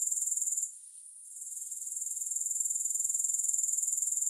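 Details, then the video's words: Short stretch of grasshopper stridulation with no music: a high, quickly pulsing trill that cuts out for about half a second early on, then gradually returns. "Grass Hopper Sounds"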